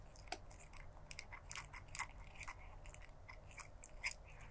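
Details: Crunching food, a black stray cat chews steadily, sending out rapid crisp snaps and clicks several times a second, evenly spaced like ticking, against faint background hum.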